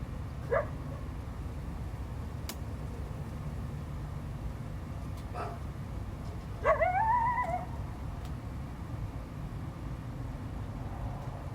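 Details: A coyote gives a brief rising, wavering howl over a steady low background rumble, in response to a dog barking and intrusion into its territory, 12 February 2025.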